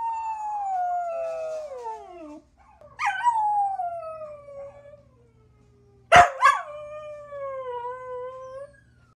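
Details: Ruby, a one-year-old mutt of chihuahua, pit bull, German shepherd and terrier mix, gives three drawn-out howls that fall in pitch, each opening with a brief sharp yelp, with a faint low hum beneath.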